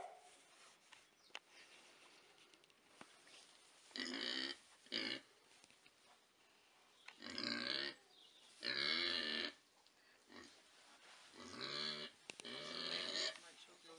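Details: Baby mini pigs, also called micro or teacup piglets, give loud harmonic squeals in separate bursts of about half a second to a second, with quiet gaps between them and a faint hum in the background.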